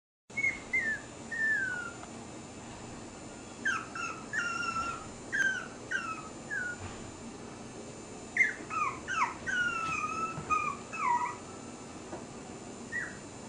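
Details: Puppy in a happy mood: quiet, high-pitched whines and squeaks in short bursts, several clustered notes at a time, falling in pitch, with pauses between clusters and steady background hiss.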